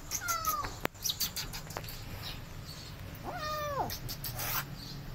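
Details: Two feral kittens, abandoned and thrown into a walled house late at night, during a long rescue to catch them: two drawn-out, bending meows a few seconds apart, with sharp clicks and knocks between.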